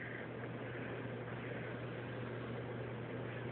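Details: A steady, unbroken rushing noise like a fan or engine, with a constant low hum and no breathing rhythm or other animal sound.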